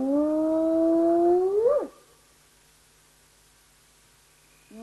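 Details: A spotted hyena gives a drawn-out whoop on a live nature cam, the low tone holding steady before sweeping abruptly upward and cutting off, then a pause before another whoop starts.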